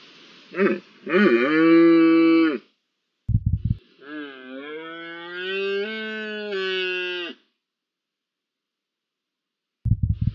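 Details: Red deer during the rut in the first week of October: two long, harmonic-rich roars, the first about one and a half seconds, the second over three seconds with a slightly rising, wavering pitch, separated and followed by short low grunting bursts.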